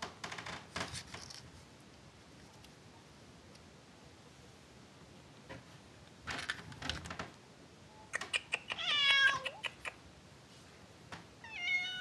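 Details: Pet cat said to dislike its owner since arriving home, giving a burst of high, quavering meows around 8 to 10 seconds and a short rising meow at the end, amid clicking, typing-like knocks and handling noise.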